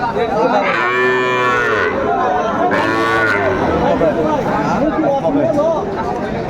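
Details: Cattle at a Kurigram, Bangladesh market on 27 July 2024, where Sahiwal bull calves are sold, giving two long, harmonic moos, the second deeper and rising, over steady crowd chatter and bargaining voices.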